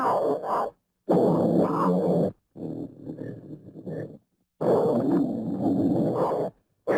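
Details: Leopard giving rough, rasping growls in long bursts of one to two seconds, broken by brief silences, with a quieter stretch of low grunting in the middle.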